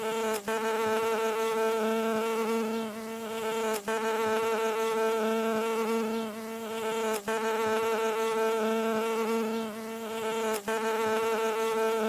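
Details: Bee landing, heard as a continuous, even buzz of low pitch with strong overtones, swelling slightly and dipping in short gaps roughly every three and a half seconds, nothing else audible.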